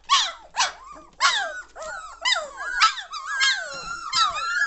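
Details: Litter of German Shorthaired Pointer puppies aged three weeks, getting lively and noisy, with overlapping squeaky whines and yelps, short falling cries early then longer wavering squeals running together.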